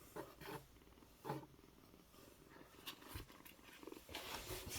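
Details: Rescued kitten, apparently male and about one month old, found alone in daytime at a market vegetable shop, purring indoors: low rumbling bursts that swell and fade, mixed with rustling and handling noise close by.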